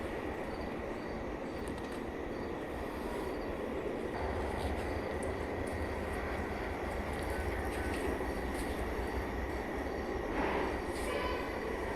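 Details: Continuous loud rumbling and rushing noise, like a passing train or vehicle, with a brief higher squeal near the end and no animal calls.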